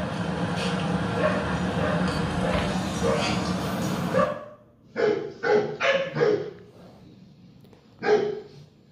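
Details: Akita Inu dog barking toward its four-legged online friends: about four seconds of rough broadband rumbling noise, then a quick run of four sharp barks and one final bark after a short pause.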